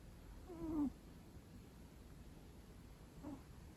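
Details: Long-coat Chihuahuas taking an afternoon nap indoors, snoring loudly: one brief whistly, downward-sliding nasal snore, then a fainter one about two and a half seconds later, over a steady low background hum.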